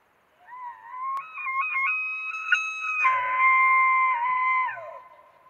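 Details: Elk bugling in Cataloochee Valley, Great Smoky Mountains National Park: a clear, flute-like whistle that climbs, holds high and steady, then slides down.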